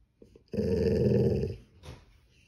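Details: Golden Retriever; growl; seeking attention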